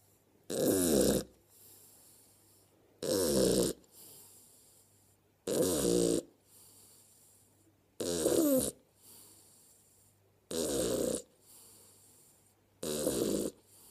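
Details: Mabli, an 11-week-old Shar Pei puppy, asleep indoors and snoring; six loud, rough snores arrive regularly about every two and a half seconds, each a broad rasping burst, with quiet breathing between.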